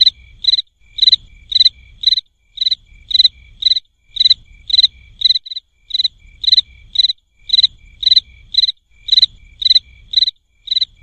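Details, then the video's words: A cricket chirping. Sharp, high, evenly spaced chirps repeat about twice a second, around twenty in a row, over a faint low rumble. "SOM DE GRILO"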